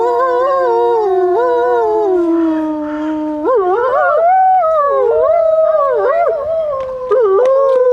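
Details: Several captive wolves howling together at Grodno Zoo, long overlapping wavering tones that slide and dip, voices weaving around one another for the whole stretch, with sharper yipping bends toward the end.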